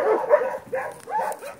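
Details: Dog named Teddy out on a walk, giving three brief voiced bursts of whining yelps, each rising and falling, spaced about half a second apart, with a person calling his name just before.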